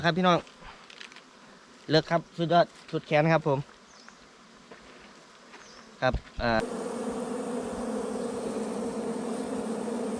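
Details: Wild bees at their nest during a honey hunt. After several short bursts of men's talk, a dense, steady droning hum sets in. It stays loud and even to the end, with layered low tones under a hissy wash.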